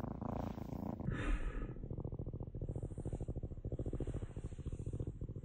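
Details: Orange pet cat purring at home while interrupting its owner working from home; a brief louder rustle or breathy sound opens, then an even low pulsed purr of rapid rhythmic throbs runs to the end.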